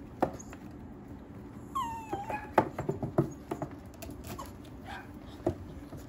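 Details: Mixed-breed dog at a breeder's home in Okayama, Japan, letting out one thin whine that slides downward, followed by scattered taps and clicks over a steady low hum.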